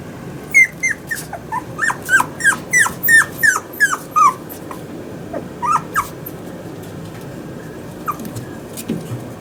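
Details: Young male Toy Poodle at a pet shop in Yokosuka, Kanagawa, born August 2019. A quick series of piercing, descending yelps opens the recording, then it trails into sparse, quieter whimpers with pauses indoors.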